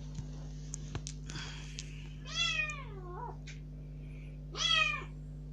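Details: Kitten rescued about three days before, let out of its cage into a room for the first time and crying to be let outside; two meows, the first with a wavering drawn-out tail, over soft rustles and a constant low hum.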